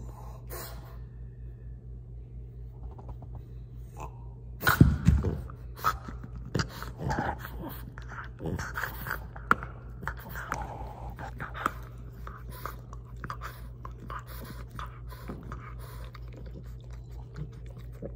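A French Bulldog snorts and snuffles in pig-like grunts over a steady low indoor hum.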